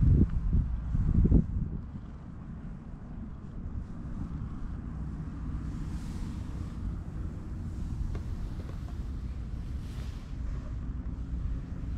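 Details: Outdoor wind buffeting the microphone and low rumbling noise, with a few knocks at the start; no animal call.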